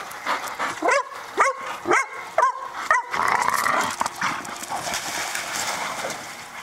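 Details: Boxers Brock and Jack playing outside on a swimming pool cover; a run of sharp, high barks about twice a second over three seconds, then rustling, splashy noise as the play continues.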